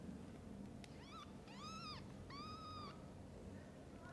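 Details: Mother cat with her kittens: three clear, high mews, each arched and slightly falling at the end, the middle and last ones held longest, with steady low room hum underneath.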